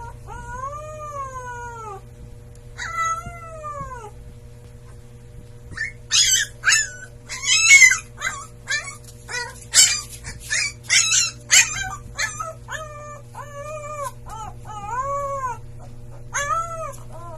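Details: Siberian Husky puppy howling: drawn-out arched tonal howls of about two seconds each, rising then falling, broken midway by a rapid run of short sharp yips and squeals before the long howls return, over a steady low hum.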